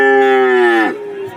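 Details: A single strong, sustained moo from a cow at Warujayeng livestock market, Nganjuk, held steady for almost a second before dropping away sharply, with another animal lowing faintly after.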